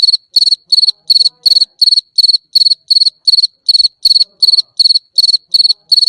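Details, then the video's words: Sixteen or so sharp, high-pitched cricket chirps follow one another at a steady clip, each a trill of quick pulses, broken by short clean gaps, nothing else audible. "صوت صرصور الليل"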